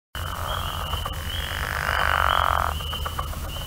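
A pickerel frog gives a low, rattling snore lasting under a second against steady background insect hum.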